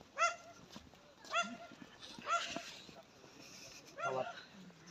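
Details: Tracking dog giving several sharp harmonic barks spaced about one second apart, with softer whimpers between them; quiet background.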